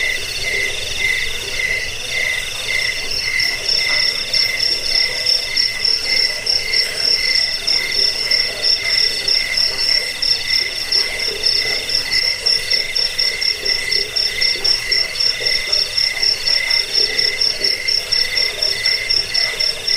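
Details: Chirping crickets, played to drive off rats, help sleep and train songbirds, form a shrill, overlapping chorus. The highest voice sets a fast, steady pulse of about four beats per second, while lower trills run beneath it.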